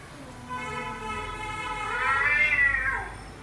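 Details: A domestic cat gives a single drawn-out meow that swells and rises, then falls away at the end, over about three seconds, with a soft steady background hum.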